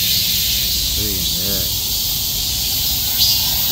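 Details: Countless cicadas clinging to trees in summer cry out together in a dense, unbroken high-pitched drone, with a brief spoken voice.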